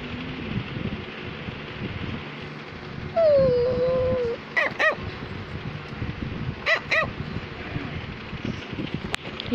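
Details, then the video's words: A Cavalier King Charles Spaniel kept as a pet, trying to tell its owner something: a steady, slightly falling whine opens, followed by short sharp barks in pairs and a quiet room. "Cavalier King Charles Spaniel is barking"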